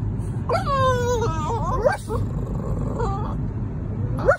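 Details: Three-month-old French Bulldog puppy in a car on the drive home, barking back after its owner barks: a long, drawn-out, yowling bark that wavers in pitch, then a shorter bark, over steady road rumble.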